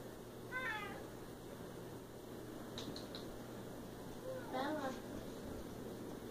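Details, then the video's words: Siamese cat with two meows, a short descending one near the start and a longer wavering one later, separated by quiet room noise and a low steady hum. "Siamese Cat & Cat sounds"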